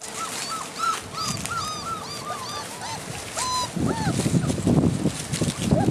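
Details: Great Dane puppies exploring leaves and straw outdoors for only the second time, in winter; a run of quick arched whimpers gives way to loud rustling and shuffling through litter in the second half.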